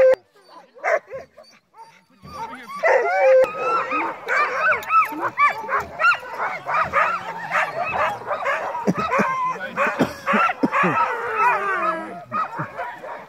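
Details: Crossbred husky mixes on a night dogsled run in heavy snow. After two quiet seconds, many dogs break into a dense overlapping chorus of high arched yips, whines and short howls that runs unbroken to the end.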